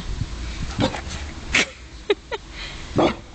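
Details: Pet dog described as ridiculously scared of water, having swum in the ocean only once; short, scattered barks and yelps spread unevenly over a few seconds against a low background rumble.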